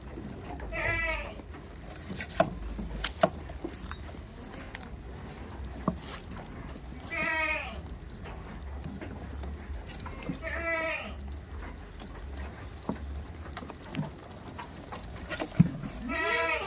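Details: Goats on a village farm give four separate bleats, each a short, wavering, nasal cry roughly three to five seconds apart, with low background rumble and occasional clicks and knocks between calls.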